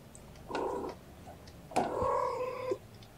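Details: Indoors beside a kennel of napping kittens, mother cat Gamora gives two calls: a short nasal meow, then a longer, steadier, sustained meow of about one second.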